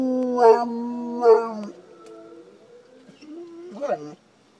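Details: Shelter-adopted dog of unknown mix, from near NYC, responds to recorded wolf howls. Two loud wavering yodel-like howl bursts come in quick succession, then a low steady tone, then one more short wobbly howl near the end.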